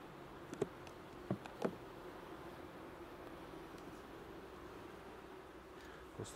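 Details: Inside an opened hive at the end of an inspection, honey bees treated with a second 15% lactic acid spray give a constant low buzzing drone, with a few sharp taps from frames being moved.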